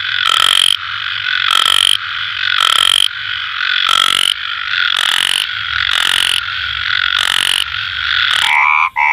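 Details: Four frogs croaking at night, rough raspy calls repeated about once a second on top of an unbroken shrill trill, the rhythm breaking up near the end.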